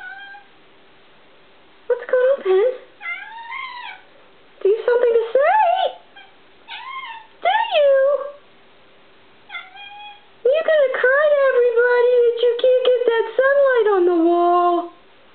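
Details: Pet cat Penny, indoors and vocal over a tiny bug on the wall, mixes quick chirps with drawn-out, wavering meows that swell into a long sustained yowl, a woman's speech interleaved.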